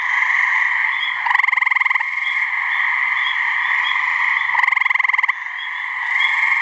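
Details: Gray treefrog (Hyla versicolor) mating call from a New Hampshire swamp: two separate rapid pulsed trills, each lasting under a second, about three seconds apart, over a continuous droning chorus.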